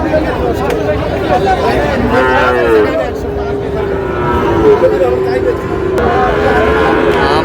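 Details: Sahiwal bull calves bought by a Tangail farmer in Bangladesh on 20 August 2026: a drawn-out, droning bellow lasting several seconds, wavering slightly in pitch, overlapped by nearby voices and busy outdoor noise.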